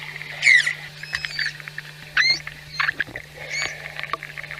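Manatees give short, high-pitched squeaks and chirps, some rising or wavering, spaced irregularly over a few seconds. They use these sounds to communicate with one another, here heard against a constant low electrical hum.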